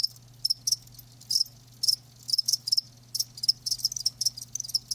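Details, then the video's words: Live crickets in a natural-sound recording: short bright chirps high in pitch, in irregular bursts and pairs with brief silent gaps, over a faint steady low hum. "Live Crickets 60min "Natural Sound" ASMR"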